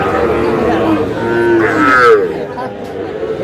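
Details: Sahiwal bull calves at a Cumilla livestock market, Bangladesh, 9 June. A single moo swells and bends upward, then fades, half-buried under men's talk and general market noise.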